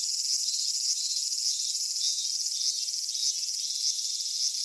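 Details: Cicadas in a Japanese summer landscape at Kitakami's Michinoku Folk Village and Tenshochi. A high, sizzling chorus runs throughout, with brighter swells repeating somewhat irregularly, just under twice per second.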